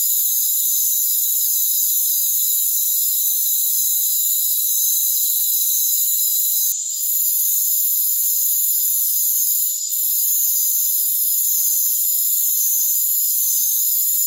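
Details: Crickets in a rainforest form a steady wall of shrill, overlapping trills high in pitch. Two short dips in volume with faint clicks break the drone, around seven and ten seconds.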